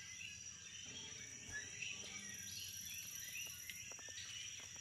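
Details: Nighttime insect chatter on St Thomas in the Virgin Islands, a continuous shrill drone topped by busy, crowded chirping, with scattered rising chirps standing out from the mass.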